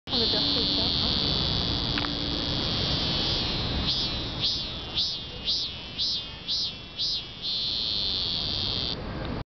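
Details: A Korean cicada sings a loud, high, continuous buzz that shifts midway into throbbing pulses of about two per second, then returns to an unbroken, steady drone.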